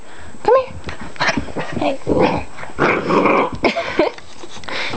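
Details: Eight-week-old chocolate Labrador Retriever puppy, playful and rough, giving a sharp squeaky yip that rises near the start, then gruff little growls and scuffling noises, with a person close by.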